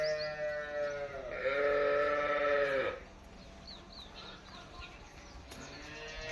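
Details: Holstein Friesian cow on a dairy farm, lowing once in a drawn-out, harmonic moo that rises to full strength and then drops away. Quiet barn background follows, with a man speaking nearby.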